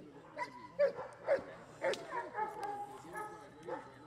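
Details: Giant Schnauzer during IPO defence work training, giving a few sharp, spaced barks about every half second, with human speech and handler sounds around them.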